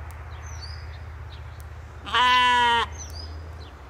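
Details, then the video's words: Katahdin sheep on a Michigan homestead during evening play; a single loud, steady, harmonic bleat of under a second mid-clip, with high thin bird whistles before and after and low rural hum. "Sheep Playing | Sheep Zoomies | Homestead Evening Sounds"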